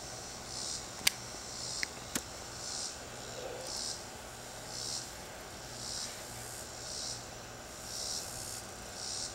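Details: Cicada in a tree giving soft, high buzzing pulses about once a second, faint against background noise, with a few sharp clicks near the start.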